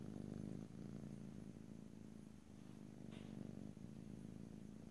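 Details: Pet cat purring loudly near the microphone in stereo, no talking; rich rumbling drone with a breath break near the start and steady in-out swells afterward, a brief faint higher rustle midway.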